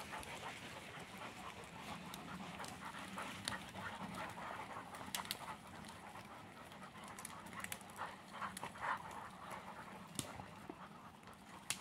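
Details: On a Sunday walk, an English Springer Spaniel pants in a continuous soft, hissing rhythm, with faint rustling and scattered clicks behind it.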